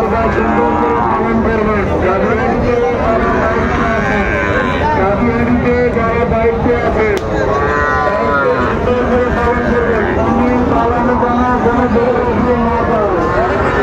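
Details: Sahiwal bull calves at Raniganj cattle market, Chattogram, Bangladesh, on Monday 9 September 2024; drawn-out harmonic moos rise and fall amid constant crowd chatter, men's voices and passing vehicles.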